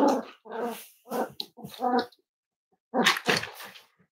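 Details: Cavalier King Charles Spaniel at Red Barn Cavaliers, indoors on a chilly Thursday morning livestream with five-week-old puppies; a run of short whimpering yelps comes in quick bursts, then a pause before a final noisy yip.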